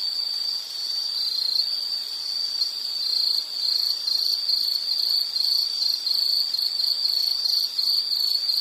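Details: Relaxing nature recording of an insect: a shrill, high-pitched trill that grows into evenly spaced pulsed chirps, steady and unbroken, with faint background hiss.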